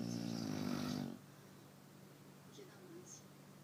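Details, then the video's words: Chow Chow dog asleep at night, snoring with a loud, rough, droning breath for about a second, then a quiet room with faint low hum. "Chow Chow Snoring"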